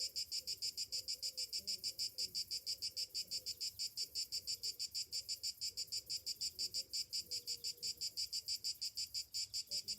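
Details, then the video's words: Morning chorus of summer cicadas, a dense high buzz throbbing in quick regular pulses, with faint lower tonal sounds in the background. "Morning summer cicadas sounds"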